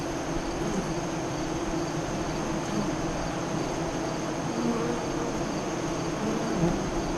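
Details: Buzzing of honey bees at a hive entrance facing west near Lyons, Nebraska, recorded during the 2017 eclipse in the afternoon; a continuous even drone with brief low whines of single bees flying close.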